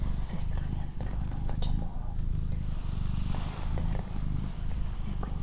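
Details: Steady, buzzing low purr from Doroti, a female pet cat, its rhythmic breath cycles clearly audible, accompanied by soft whispered speech and occasional crisp clicks.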